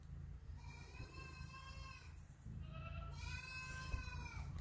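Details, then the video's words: Boer baby goats bleating: two wavering, quavering bleats with stacked harmonics, the first lasting about a second and a half, the second around the same, over steady low rumbling background noise. "Look at these Boer Baby Goats!"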